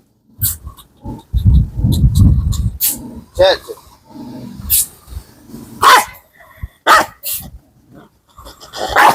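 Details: Kombai dog displaying aggression at a familiar friend. A deep rumbling growl lasts over a second, then scattered harsh barks break out in bursts. Music plays throughout, and a man calls out briefly.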